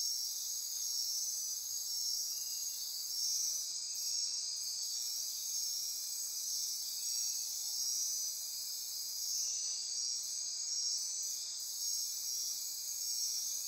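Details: Night-time rainforest insects near Corcovado National Park on Costa Rica's Osa Peninsula, a continuous high-pitched pulsing and buzzing chorus; the very highest layer drops out briefly twice, around the fourth and tenth seconds, while the rest keeps droning.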